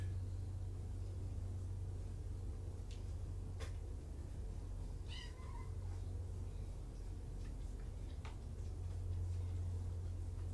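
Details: One of five rescue kittens, two litters surrendered in Tacoma and brought to Purrfect Pals, gives a lone bright mew with a wavering pitch midway, amid scattered clicks and taps and a loud steady low hum in a small room.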